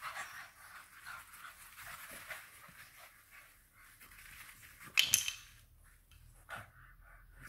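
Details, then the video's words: FCI English Bulldog puppy kept as a pet in a busy household in Nairobi, Kenya, panting in a steady breathy hiss, with a sharp clatter near the middle and a brief rustle afterward. "English Bulldog Puppy"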